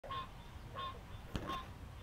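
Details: A male green treefrog calls in a marsh at dusk on July 11 in Alexandria, Virginia, giving nasal, honking quonk notes about every three-quarters of a second as a chorus starts; only males call.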